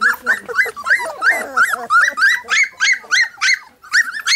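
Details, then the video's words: A three-week-old Golden Retriever puppy gives a steady run of loud, high squeals. Each one rises and then falls, and they repeat about three times a second with short gaps between them. "Golden Retriever Welpen mit 3 Wochen"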